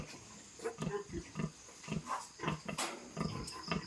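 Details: Pigs on a farm where a sow has just given birth to a new litter of piglets: short, low grunts repeated roughly every quarter second, some with a higher tonal edge, over a faint constant hiss.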